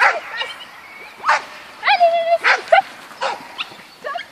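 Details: Yorkshire Terrier at agility, letting out high, thin yips and a drawn-out, steady whine in the middle, followed by scattered short squeaky yelps and soft background noise.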